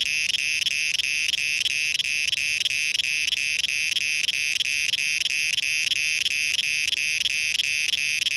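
A cicada drones in a loud, shrill, unbroken buzz pulsing about three times a second.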